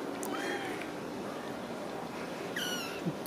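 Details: Ragdoll kittens at a home cattery in central Kansas, kept without cages: thin high mews rise and fall near the start and again toward the end over a soft hiss of room noise.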